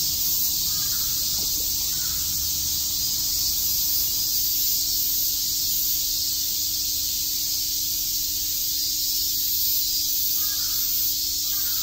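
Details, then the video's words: Cicadas chirping on a summer day in Shakujii Park, Tokyo: a dense, steady high hiss-like drone with no breaks, with a few faint short calls from other animals in the background. "Cicada chirps"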